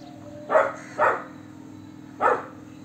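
A Golden Retriever puppy gives three short, full-bodied barks, two close together and one after a pause.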